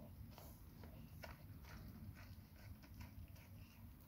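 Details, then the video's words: Labrador Retriever named Nona eating a huge grilled sandwich: quiet, irregular crisp chewing clicks and smacks, several per second, over a steady low rumble. "Labrador NONA eating huge grill sandvich"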